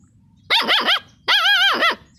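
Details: A dog gives two drawn-out, quavering howls, each under a second, with a clear tone that wavers up and down before dropping off. The background is otherwise quiet.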